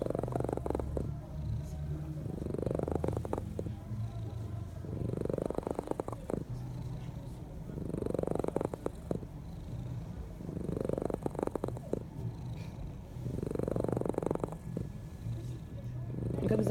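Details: A cat snores in its sleep, each drawn-out raspy breath swelling then fading about every three seconds across the recording, deep and rumbling, with a soft constant hum in the background.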